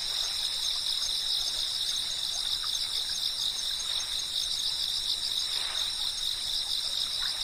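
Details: Insect chirping from cicadas, a constant high shrill drone made of stacked steady tones that never break, with quiet rustling and a few faint short sounds in the lower background.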